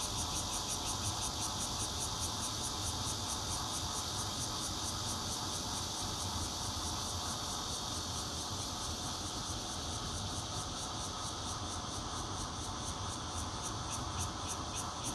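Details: Continuous shrill buzzing of bear cicadas, recorded on a Nokia Lumia 820 from a fourth-floor home in Zhongli, Taiwan, on 16 June 2013; rapid pulses run throughout, easing slightly near the end, with low rumbling noise beneath.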